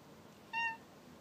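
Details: House cat replying to its owner indoors with a short, clear meow of about a quarter second, quiet room behind it.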